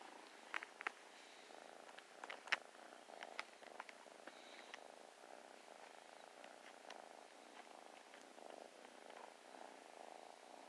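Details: Playful new kitten snuggling and purring, a steady soft rumbling purr throughout with scattered clicks and handling rustles.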